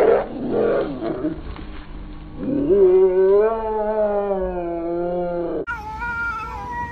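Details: Angry cats fighting, drawn-out yowling with wavering, rising and falling tones, a rough noisy growl at the start, then a sustained moaning howl before an abrupt cut to a higher wail.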